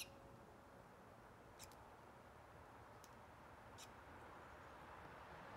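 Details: Squirrel squeaking in brief, high, clicky chirps, one doubled, spaced one to two seconds apart against a quiet hissing background.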